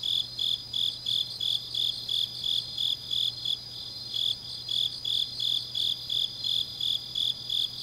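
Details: Autumn night chorus of grass insects recorded in Changnyeong, Gyeongnam, Korea; high-pitched pulses beat nearly three per second in a regular rhythm, layered over a constant thin ringing drone and a low steady hum.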